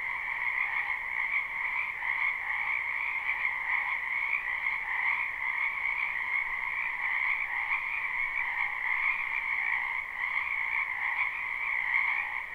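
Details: Frog chorus from a wetland in spring, a live recording with no looping: many overlapping callers make a loud, constant trilling drone, with a soft pulsing swell every second or so in the high band.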